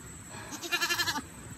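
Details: A runaway goat back home gives a single wavering bleat, loud and nasal with a pulsing tremolo, lasting about half a second against a quiet background.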